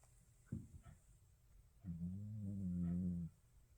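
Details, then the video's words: A sleeping Shih Tzu snores: a couple of short snuffling breaths, then one long, low, humming snore lasting about a second and a half in a quiet room. "시츄 코골이"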